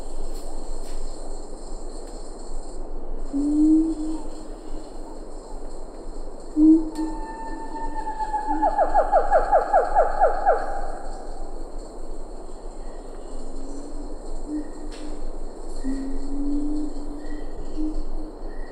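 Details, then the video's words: Siamang in Ketambe Forest, a few lar gibbons behind: scattered low booming notes throughout, with a short rapid burst of repeated harmonic barks in the middle over steady forest hum. "Siamang Gibbon. MCU Calls. A Few Lar Gibbons In B/G. Ketambe Forest"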